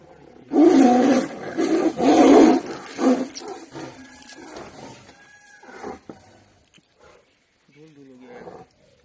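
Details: Two male lions fighting, giving harsh, loud, broadband snarling roars in three or four rough bursts over about three seconds. Quieter rumbles follow, then people talk.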